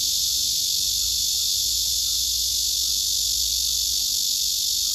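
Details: Serenade of a male cicada aimed at a female beneath him, who edges away; a steady, piercing buzz with a faint pulsing texture and a high thin overtone.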